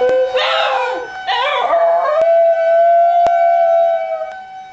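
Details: Pet basenji Bru singing along with the Friday test of a tornado siren at a nearby fire station: two short wavering, yodel-like howls over the first two seconds, then the steady, even tone of the siren continues alone.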